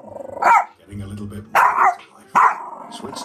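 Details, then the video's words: Yorkshire Terrier indoors barking at a DVD player: three sharp, high, yappy barks spaced about a second apart, with faint background sound between them. "Yorkie Barking at the DVD Player"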